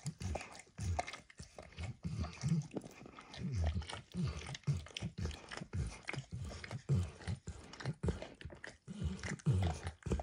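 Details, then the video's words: Max, a pet dog called Emperor Max, licks food off a bumpy orange mat, starting with eggs and ending with diluted peanut oil. Wet, low, smacking laps come in close irregular bursts, several each second, with short pauses and no talking. "ASMR Dog Licking"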